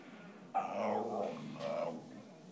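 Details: Theodoro the Whippet, hungry and begging for food, gives a short, sudden whining growl that slides downward, then a second brief higher whine after a small gap.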